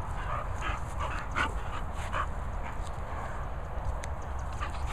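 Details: English Bull Terrier Princess Poppy, excited and feeling fresh, gives short broken whimpering yelps and huffs in scattered bursts over a steady low rumble.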